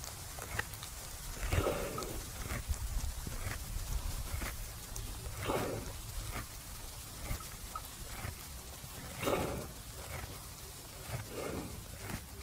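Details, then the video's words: Resting buffalo in a farmer's field at noon, chewing its cud: soft, regular crunching strokes roughly once every second or so, each a brief broadband grind, with a quiet rural background between chews. "Sound buffalo chewing the cud"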